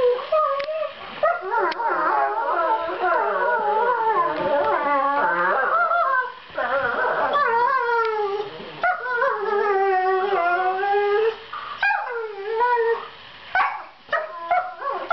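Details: Borzoi puppies Velikij Pravda and Velikij Petrova, seven months old, vocalise during fight-play, soft sounds assuring each other the snarling is not serious; near-continuous overlapping warbling howls and whines, wavering up and down, with brief pauses.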